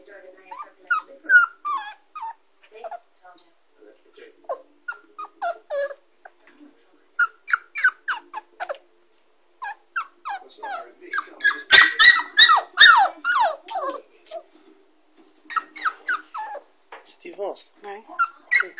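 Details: Kooikerhondje puppy Zorra, a 6.5-week-old female, in her crate at home for the first time. She gives short, high whimpers that fall in pitch, repeated rapidly in irregular bursts, with a louder cluster midway. Quiet human speech is also heard.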